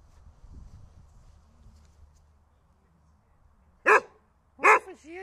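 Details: Dog named Holger, eager for a stick, gives two sharp, loud barks about a second apart near the end, after a quiet stretch of low background murmur.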